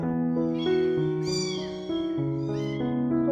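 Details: A rescued kitten, abandoned in freezing cold, meows repeatedly in high, bending cries while being called to come back, set against continuous piano music.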